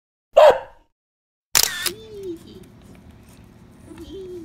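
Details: A Basset Hound and Corgi mix puppy, on the day it joined its new family, gives two sharp, high yaps, then a soft wavering whine.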